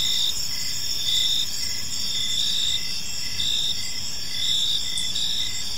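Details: Park crickets at evening giving shrill high chirps in repeated pulsed bursts, several callers overlapping into a continuous chorus above a soft low rumble.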